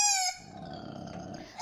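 A koala gives a brief, loud, high-pitched wailing cry with a rich, tonal edge, then a softer rasping noise.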